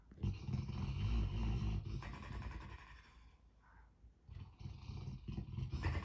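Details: Dog making odd noises while asleep: low, rough, growling rumbles with a buzzy harmonic texture, sustained for about two seconds, fading to near quiet, then resuming in shorter grumbling bursts toward the end.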